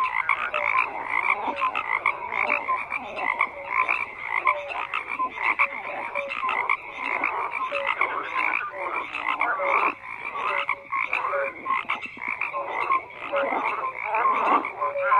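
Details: Frogs calling in a continuous crowded chorus, rattling croaks overlapping with recurring short tonal notes, loudness swelling and dipping throughout with no other audible sounds.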